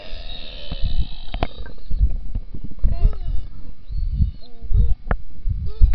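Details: Summer beluga whales underwater in Manitoba's Churchill River by Hudson Bay: a run of short, repeated upswept chirps in the second half, set against loud low water noise and scattered clicks.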